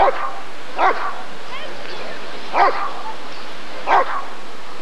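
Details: Rottweiler at the 1994 ADRK breed survey (Körung) giving deep, forceful barks, four main ones over about five seconds in uneven spacing, over a murmuring crowd with a brief higher wavering sound between them.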